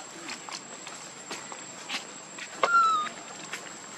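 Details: Hungry baby monkey Leo cries to its mother for milk: one clear, high, sliding whistle that falls slightly and fades within half a second, amid soft clicks, rustles and background hiss.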